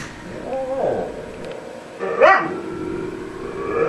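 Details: Male husky talking with his owner, a soft wavering whine followed by a short sharp rising yip, then a quieter drawn-out tone near the end.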